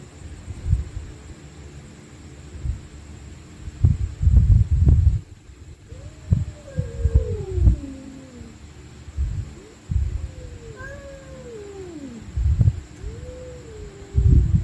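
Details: Stray cats fighting at night, screaming in drawn-out, wavering yowls that bend downward in pitch, clustered around six to eight seconds and again from ten to fourteen seconds, over repeated low thumps and rumbling background noise.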